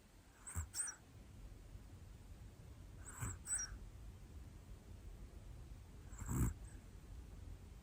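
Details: Hana-chan, a one-year-old black female Pomeranian, snoring while asleep indoors: three soft, breathy snorts spaced about three seconds apart, each a short hissing burst with a faint low rumble, over quiet room hiss.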